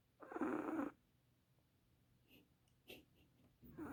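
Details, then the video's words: Chihuahua asleep, giving a loud, coarse snore lasting under a second, then a quiet pause with faint snuffles before another raspy breath starts. "Dreaming or snoring, what do chihuahuas do?"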